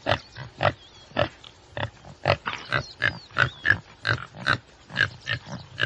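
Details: Common tsessebe repeating coarse, pulsed grunting snorts at a fairly quick, slightly uneven pace, with twittering birds audible underneath.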